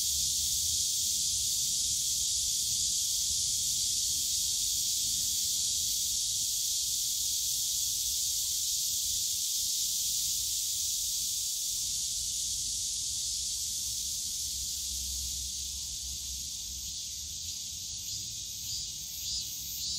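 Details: Bamboo-grove cicadas at Yongsan Family Park in summer, a loud steady hissing buzz that gradually fades toward the end, with soft low park rumble throughout.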